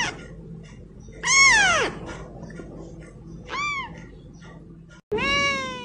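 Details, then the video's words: Cute little kittens calling: a loud high mew sliding steeply downward, a shorter arched mew a couple of seconds later, then a long strong cry at the end after a brief cut. "Cute little kittens meowing adorably"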